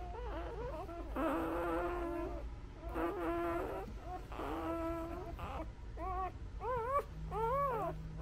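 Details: Newborn Labrador pups nursing on their mother let out drawn-out whining cries followed by short arched squeaks near the end, clear and close, with a low hum and a brief steady buzz.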